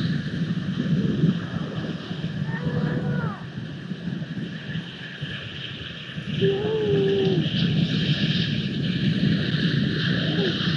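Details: Grey seal pup on a live camera, 14 February 2020, calling for its mother's milk: two drawn-out, wavering, harmonic wails about four seconds apart, each lasting roughly a second, over steady roaring wind and surf.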